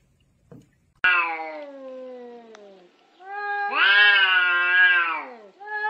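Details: Domestic cat from a funny cat compilation giving two drawn-out meows: a long falling cry after a soft click, then a louder, rising-then-falling wail near the end, with harmonics stacked high; a third begins as the segment closes.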